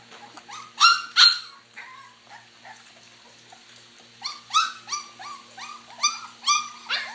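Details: Puppies eating mash make a run of sharp, high yelping squeals, loud pairs near the start and a rapid irregular series toward the end, with a quiet hum underneath.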